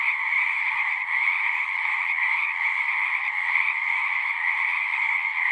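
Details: Dense frog chorus, steady and shrill, many overlapping callers creating a continuous trilling drone with small surges in intensity.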